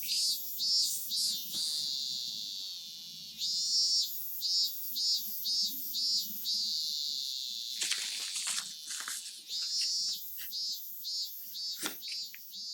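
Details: Real cicadas recorded in Japan, an iconic sound of Japanese summer, playing behind an origami lesson: high shrill buzzing pulses repeated about twice a second, with a continuous trill between, and faint paper rustling below.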